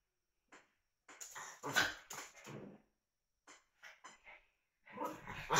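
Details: Puppies at play give short, harsh yelps and growly barks in quick clusters, a burst near the start and a louder run around two seconds, a brief silent pause, then scattered yips returning toward the end.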